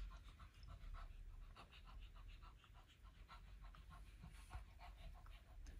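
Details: Elderly Shih Tzu dog panting indoors while roaming around a carpeted upstairs during her daily morning exercise; quick, breathy, rhythmic pants with soft rumbling low noise underneath and a brief human voice nearby.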